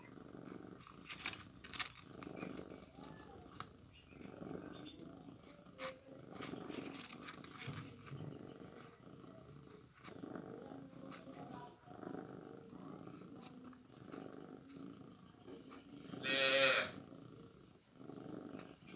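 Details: A newborn kitten is given milk. A low pulsing purr runs under frequent clicks and rustles, with quiet speech-like murmurs and one brief loud high-pitched squeal near the end.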